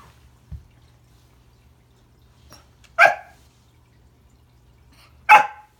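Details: Remington, a Pembroke Welsh Corgi, barks at Christmas while trying to greet a new friend under the tree. There are two short, sharp barks about two seconds apart, with a soft thump before them, in an otherwise quiet room.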